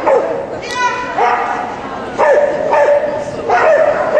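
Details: Dog barking at an agility event: short, sharp barks in quick bursts, three or four in a few seconds, with people talking in the background.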